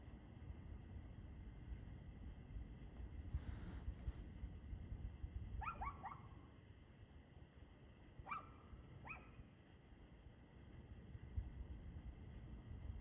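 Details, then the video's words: Barking dog at 6:02 pm, 2/6/2024: two bouts of paired, sharp barks a couple of seconds apart, with faint ticking clicks and heavy low rumble in the background. "Barking Dog"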